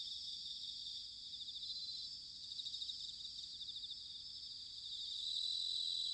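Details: Autumn bell cricket song recorded in Sanuki, Chiba Prefecture, Japan: a continuous, shimmering high-pitched trill of rapid pulses, somewhat distant, over a soft low rumble of background noise, growing slightly louder near the end.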